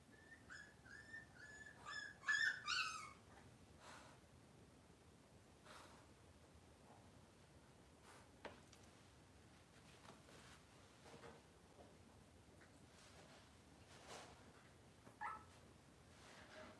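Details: Indoor kitchen-camera recording of Cavalier King Charles Spaniel puppies on a cloudy Monday morning: a quick run of high, wavering puppy whimpers in the first seconds, then a quiet room with light rustling and occasional faint squeaks.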